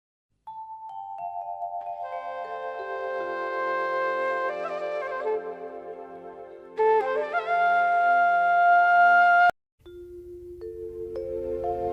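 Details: Mallet-percussion music with glockenspiel- and xylophone-like tones, a steady lower pulse, a brief silence near nine and a half seconds, then a held low tone; no animal voices.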